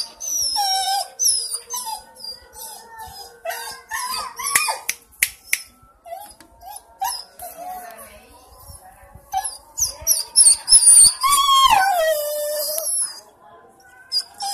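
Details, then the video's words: A dog named Berry cries in a mix of rapid high whines and yelps, building to a loud rising and falling howl-like wail near the end, with brief human voices in the background. "Berry the crying dog"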